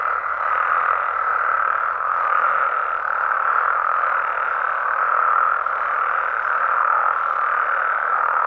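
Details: Wild frogs and toads of Mexico calling after dark: a dense, even chorus of many overlapping croaks that rises and falls slightly in loudness, with no other clear sounds.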